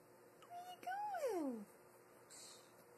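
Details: Salome, a new kitten, gives a short tonal note followed by a drawn-out meow that rises briefly and then slides down in pitch over about half a second, with a steady low hum in the background.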